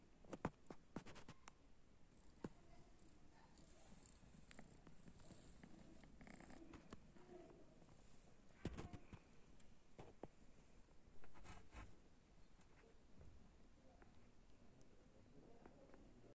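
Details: Guest kitten indoors, purring with a low, even rumble. Scattered clicks and taps sound over it, with a louder burst of handling noise near the middle.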